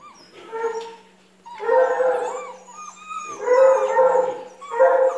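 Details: Treeing Walker Coonhound giving a series of long, wavering baying howls, each lasting about a second with a wobbling pitch, separated by short quiet gaps; a faint steady low hum sits underneath.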